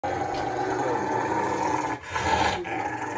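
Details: Bear, a pet dog in Ohio, USA, growls on May 18, 2021 while towelled dry after coming in from the rain. A steady rough rumble runs almost unbroken, dipping briefly near the two-second mark before resuming.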